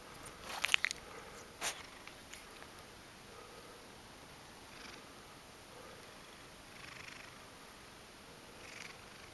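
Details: Ragdoll cat named Mojio, woken from sleep, kneading with its paws and seeking affection near the camera indoors; a few sharp knocks and rustles open, then soft breathy purr bursts return every second or two.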